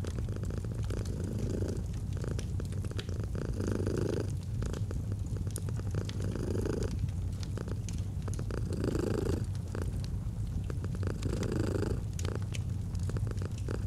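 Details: Steady purring from a domestic cat, a soft low buzz pulsing with slow breaths every two to three seconds, accompanied by intermittent fireplace crackles.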